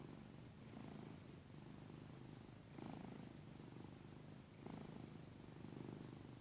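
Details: Giada the cat snores quietly, producing low, husky, purr-like breaths that swell every couple of seconds against a soft background hiss.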